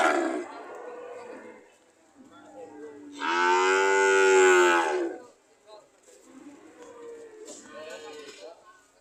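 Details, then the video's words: Market cattle ready to leave: soft lowing in the background, then one strong, drawn-out moo in the middle, followed by fainter moos from other cows. "The sound of Cows ready to leave"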